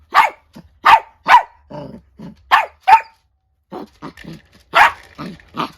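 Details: Angry barking from a female Chiweenie (Kaninchen dachshund × Chihuahua mix) in a standoff with an old miniature dachshund indoors: sharp high barks in quick pairs, mixed with lower growly grumbles and short yips.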